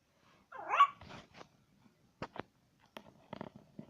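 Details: Pet dog barking indoors in a small room: one sharp, loud bark followed by a few quieter, clipped barks and faint thumps spread over a few seconds.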